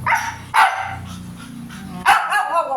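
A Siberian Husky gives sharp, harmonic barks, with a low rumbling whine between them.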